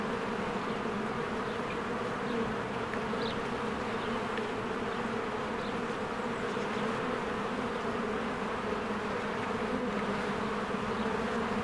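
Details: Spring beehive with swarms of honeybees flying in and out of the hive: continuous thick droning buzz, evenly loud, rich in low tones, with a few faint high bird notes flickering over the hum.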